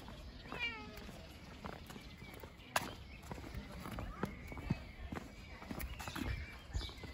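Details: Bengal cat carried on a walk in his backpack gives one falling, wavering meow near the start, followed by rustling, clicks and a woman's soft voice.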